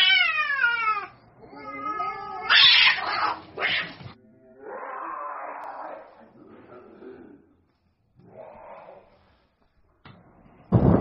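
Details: Street-fighting cats trade falling, wavering yowls and harsh screeching bursts, followed by lower growling stretches and brief noisy scuffles, ending in a sudden loud crash.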